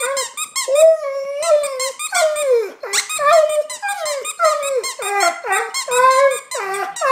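An Alaskan Malamute cries in long, wavering whines that rise and fall, one after another.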